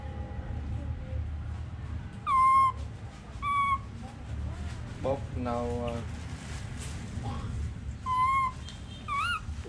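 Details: Pet baby monkey calling repeatedly: short, pure whistled notes, some ending in a wavering or upturned tail, come in bursts every second or two. A stacked, buzzy harmonic call interrupts midway, all over low background hum.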